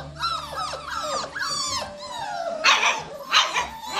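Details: Cockapoo puppies seven weeks old, offspring of a show cocker spaniel and a miniature poodle, giving rapid high whines and squeaky yips that overlap, followed by two sharp harsh barks near the end.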